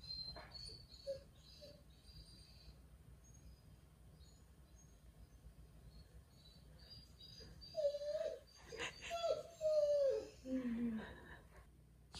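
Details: Jindo dog reacting after grandma takes its favourite bed: after quiet, faint high chirps, a run of wavering, whiny tonal cries with sliding pitch, some falling at the end, comes in bursts around the last few seconds.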